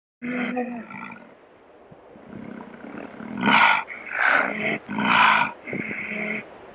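A big cat gives a run of harsh, throaty roars in loud bursts.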